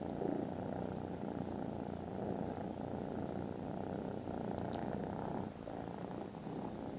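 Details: Foster kittens, content and snoozing after lunch, purr loudly; an unbroken low rumble with faint airy swells, a brief soft tick near the end.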